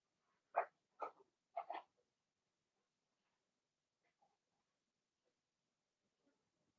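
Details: Six young Blenheim Cavalier King Charles Spaniel puppies, two girls and four boys, in a home puppy pen. Three quick, sharp yips follow one another in the first two seconds, then faint shuffling in a quiet room.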